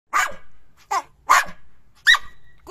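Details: Jack Russell Terrier barking at home: four short sharp barks spaced about half a second apart, with a fifth starting at the end; a person speaks Latvian nearby.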